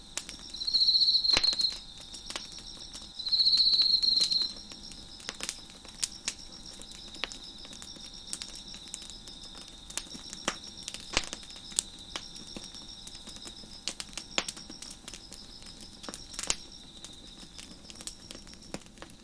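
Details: A fire crackles on a deck with crickets chirping behind it: two loud, buzzy high trills near the start, each over a second long, then a constant shrill background drone under frequent sharp crackles and snaps.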